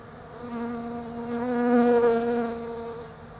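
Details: Autumn foraging by European honey bees on the blossoms of a bare-branched Desert Ash tree down under: a continuous humming drone that slowly grows louder toward the middle, then eases away.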